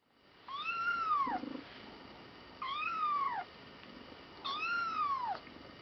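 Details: Twenty-four-day-old kitten meowing while sitting on a weighing scale indoors; three clear high, arched meows, each rising then falling, about two seconds apart, with quiet pauses between.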